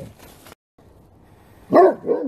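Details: Great Pyrenees dogs barking together at full strength: after a quiet stretch, two loud, deep, harmonic barks sound in quick succession near the end.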